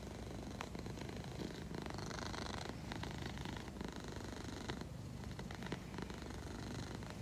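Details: Egyptian Mau cat Leo, sleepy while being spoken to softly, purrs a steady low rumble that pulses with each breath.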